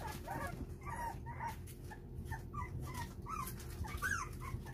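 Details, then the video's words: Four-week-old puppies plead for their mother to come back in, the weary mother having turned cold to push them toward independence; several short, high whimpers and whines rise and fall, repeated throughout over a steady low hum. "어미를 들어오라고 애원하는 강아지"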